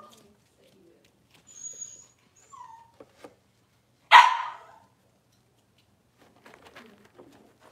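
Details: Cavalier King Charles Spaniel puppy at six weeks old, handled indoors for deworming and nail trimming; soft rustles and faint squeaks lead to one sharp, loud yelp midway, then quiet shuffling.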